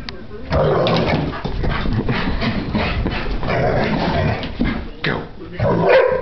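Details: Giant schnauzer after breakfast, giving low, rough grumbling vocalizations that run almost without a break for about five seconds, with a short dip near the fifth second before one more louder grumble.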